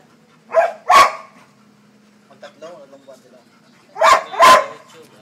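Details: Barking Labrador Retriever, two paired sharp barks, one pair at the start and another about three and a half seconds later, each pair close together; soft Tagalog talking fills the gap.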